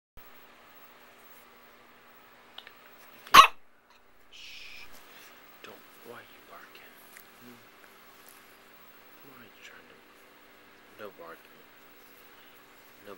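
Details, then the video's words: Bella, a pet dog, barks once sharply early in the morning because she wants to play, in a small quiet room; a short hiss and faint scattered sounds follow. "Barking Bella"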